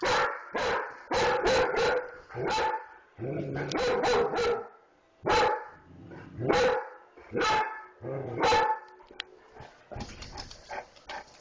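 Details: Dog barking hard in rapid runs, then spaced single barks every second or so, with a low growl mixed in and quieter sounds near the end.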